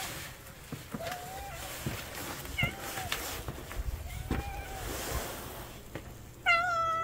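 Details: Cat family, described as street cats, gathered at a meal; several thin, drawn-out meows scattered through, then a louder, harmonic-rich meow near the end, over low rumbling background noise and faint human voices.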